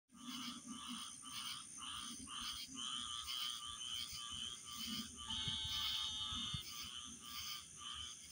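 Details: Chirping frogs in a natural setting, giving rapid pulsed high chirps about two per second, with a steady high-pitched tone running throughout and faint low rumble beneath.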